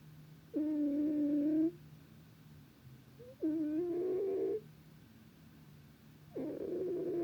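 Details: Sleeping cat giving repeated snores, each a steady humming tone of about a second that turns rougher toward the end, recurring every three seconds or so over a soft low drone.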